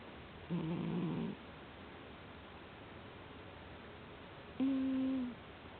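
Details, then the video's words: Soundly sleeping cat snoring in a small room: first a rough, rattling low breath, then after a silent gap a smoother, steady humming snore that dips slightly at its end. "いびきねこ Z-Z-Z Cat"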